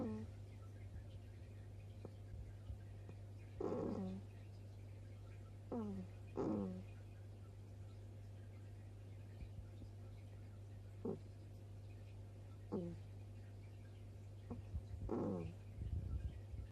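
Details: Baby hedgehog asleep at night, heard snoring with soft 'kuu kuu' sounds: brief squeaky notes that slide downward, scattered irregularly every few seconds over a steady low electrical hum.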